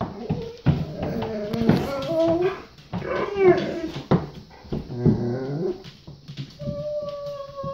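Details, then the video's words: Male Golden Retriever indoors in a small room, whining and 'talking' to tell his boy it is potty time: a run of wavering, rising and falling whimpers and yips with a steady high tone near the end, a person speaking briefly. "GOLDEN RETRIEVER DOG HAS TO GO POTTY! TALKING DOG!"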